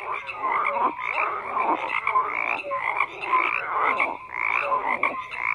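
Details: Frogs croaking in a dense chorus, overlapping pulsed calls around the middle range with brief tonal notes, rising and falling in loudness every second or so; no other sounds stand out.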